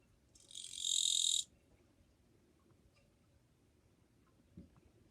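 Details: Japanese katydid singing on 2 July 2023 in a fairly quiet setting: one dry, high buzzing chirr lasting about a second that swells and then stops abruptly, followed by near silence with one faint low tap.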